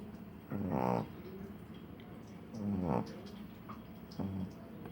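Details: Sleeping small dog snoring indoors: three breathy, rasping snores spaced about two seconds apart, each with a low rough buzz, over a quiet room hiss.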